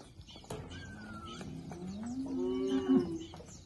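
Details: Girolando heifer from a group of forty kept with a young Girolando bull in Passos, Minas Gerais, Brazil. One low moo swells and rises toward its loud end, while a bird gives a thin falling whistle earlier.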